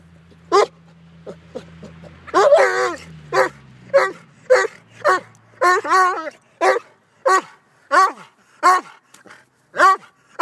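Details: A Vizsla facing off with a silky rooster gives a steady run of sharp, harmonic barks, roughly one every second.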